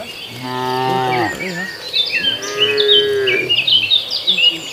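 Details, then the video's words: Herd of tame cows wandering a field toward their barn while eating grass; two long, steady lowing moos, the second slightly higher, over busy chirping birds in the background. "Suara Sapi Makan Rumput"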